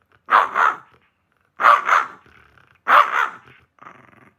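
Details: Shiba Inu indoors giving three loud, harsh barks, each a doubled burst about 1.3 seconds apart, followed by a softer trailing grumble.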